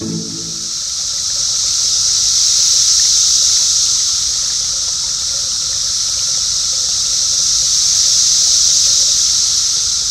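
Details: A dense, unbroken summer chorus of Brood X periodical cicadas in the eastern United States, males calling to attract females, a high shrill hiss that slowly swells and fades.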